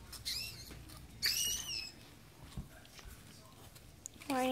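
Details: Newborn Yorkie puppies squeak while their Yorkshire Terrier mother gives birth at a Michigan breeder. Brief shrill squeals come first, then a longer falling whine. The clip ends with a lower, fuller whimpering cry.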